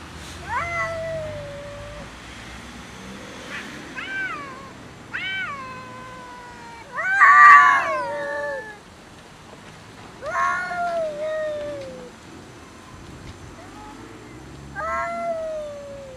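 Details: Angry domestic cats fighting and arguing over food: loud, drawn-out harmonic yowls that rise then sag, in about six bursts across sixteen seconds, the harshest and loudest swelling near the middle, with quiet background between outbursts.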